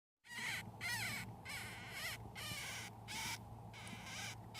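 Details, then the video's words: One-week-old baby hamsters, eleven pups in a pet litter, crying while drinking their mother's milk: rasping, harmonic-rich squeaks in quick bursts roughly every half to three-quarter second over a steady low hum. "【赤ちゃんの鳴き声】ミルクを飲む子供達の様子【ハムスター】baby hamster crying"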